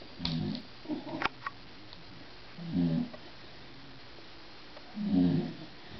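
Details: Bulldog snoring indoors, loud enough to be heard through a closed door with a television on: low rumbling snores, each about half a second long, recurring roughly every two and a half seconds, with a few softer snuffles between.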